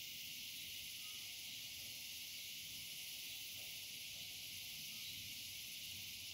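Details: Dusk chorus of cicadas, heard as a continuous sizzling high buzz with an even, unwavering intensity and a sharper shrill band above it, running without breaks for the whole stretch.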